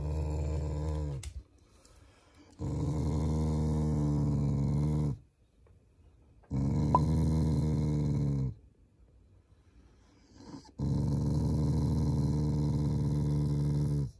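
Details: Shiba Inu, a loving family dog, growling playfully as a show of affection toward its owners, not in anger; three long, low, rumbling growls of two to three seconds each, separated by quiet pauses, indoors.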